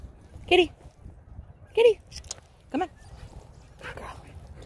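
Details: Kitty, a female poodle, recorded 1/9/2023 indoors while being coaxed to jump through a hoop; three short, high, sharp yips come about a second apart, with a person calling and praising her in between.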